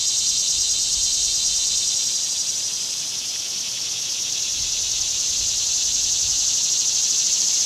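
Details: Summer cicadas droning in one continuous, shrill, hissing buzz with a fast pulsing texture, holding nearly level in loudness throughout.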